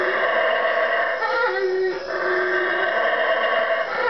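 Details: Four wild howler monkeys three trees from a room in the Guatemalan jungle at 3am, giving a loud, continuous rough roar with rich layered tones that swell and dip slightly near the middle, no other sounds standing out.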